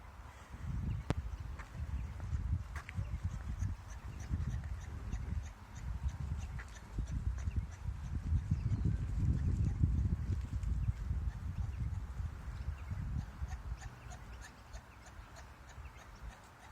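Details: Kangaroo calling, probably in courtship, recorded while kangaroo watching: low, throaty clucking pulses repeated rapidly in uneven bursts through the whole stretch, with faint bird chirps higher up.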